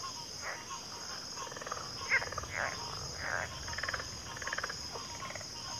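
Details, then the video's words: Several frogs call together in a backwater chorus, overlapping raspy trills and short croaks at irregular intervals, with a continuous high-pitched drone behind them. "Backwater Chorus, & Frog Chorus"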